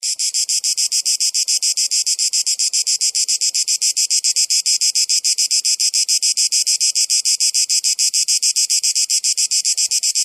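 A cicada gives a loud, harsh buzzing call, pulsing rapidly and steadily without a break.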